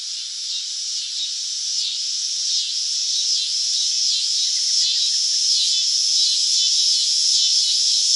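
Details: In summer, a cicada gives a loud, high, steady buzzing drone that pulses gently in waves a few times each second.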